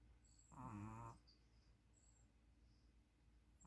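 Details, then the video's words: A puppy snores while sleeping. One short, gravelly snore is followed by quiet, and another breath begins at the very end. "DO YOU SEE A SNORING PUPPY?"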